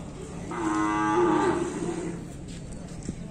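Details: Bali cattle being bathed gives one steady, drawn-out moo of about a second, a level tonal bellow with rich overtones that swells then fades, over a faint background hiss.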